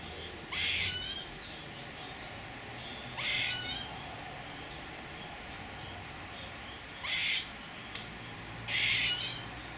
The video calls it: Wiewiórka - Squirrel